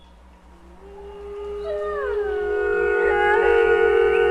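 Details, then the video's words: Several wolves howling together, voices rising one after another into sustained overlapping tones that build louder, over a faint low rhythmic thumping. "Amazing Wolf Howl Compilation | Wolf Pack"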